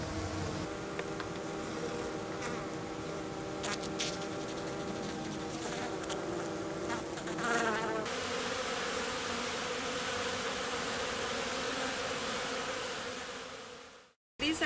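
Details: Flying honey bees at a hygienic colony south of St. Paul, Minnesota, March 16, first warm day; a buzzing hum with clear layered tones for the first half, then broadband rustling, and a short dropout before the end.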